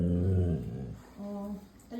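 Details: Siberian Husky kept as a pet, making a low, rumbling, growl-like talking sound for about half a second indoors in a small room, followed by a person's voice speaking Bengali.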